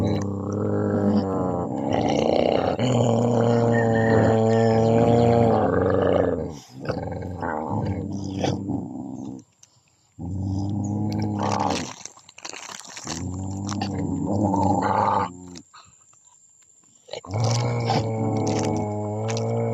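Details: Dog from a puppy family: long, deep harmonic growls and roaring howls in sustained bursts of several seconds, broken by short pauses and quieter stretches.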